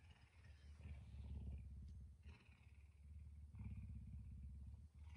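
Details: House-kept puma rousing its owner around 5 a.m.; a rough, rapid low purr beating several times a second, swelling and easing in waves, with a woman speaking softly over it.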